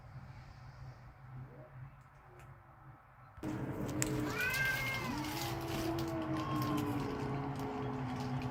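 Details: Backyard cats squaring off, angry and ready to fight: after about three quiet seconds a loud wavering yowl breaks in, bending up and down, layered over a low moaning growl amid rustling outdoor noise.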